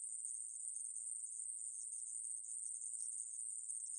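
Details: Shrill, constant electric-sounding buzz from the Ae-maeburi conehead katydid, recorded in 2020, sustained evenly throughout with a faint wobble near the end.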